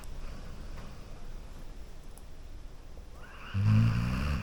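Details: A Golden Retriever sleeping on a couch lets out one low, rumbling snore after a few seconds of quiet breathing.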